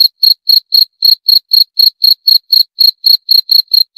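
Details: Cricket chirping in a steady, rapid series of short, high, pure-toned pulses, about four per second, with no other sounds behind it.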